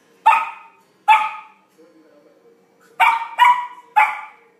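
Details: A Samoyed puppy barking while playing with its first big ball: five sharp, bright barks, two close together at the start and three in quick succession near the end, with a faint low hum between them.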